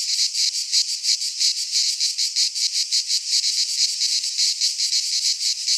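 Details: Midsummer cicada chorus from a pine forest in Greece, shrill and buzzy, throbbing in regular swells roughly three times a second throughout, nothing else audible.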